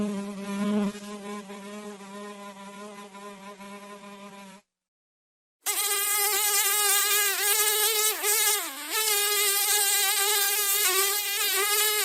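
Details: Fly buzzing in a steady, droning hum rich in overtones for about four and a half seconds, then a second of silence, then a louder, brighter buzz that wavers and dips in pitch as the insect moves.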